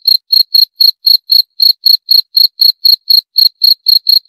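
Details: Steady, piercing cricket chirps pulse evenly at roughly four per second for the whole stretch. Each one is a short bright burst with a faint higher ring, with no background sound at all.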